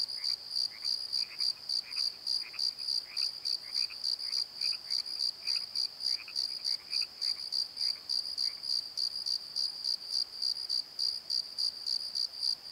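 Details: High, regular cricket chirps at night in a valley bottom, pulsing about three times a second, while a second lower, softer chirping fades out partway through.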